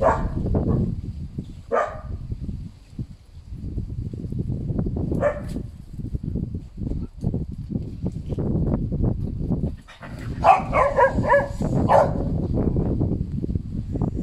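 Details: Canaan Dogs bark in a few isolated sharp calls early on, then a dense cluster of overlapping barks late in the recording, over steady low wind or handling noise.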